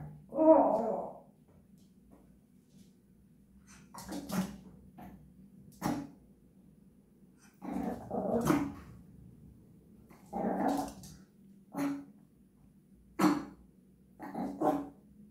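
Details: A Japanese Chin sings in short bouts of yowling, moaning notes with a few sharper yips, each burst lasting under a second and returning every couple of seconds over a quiet background hum.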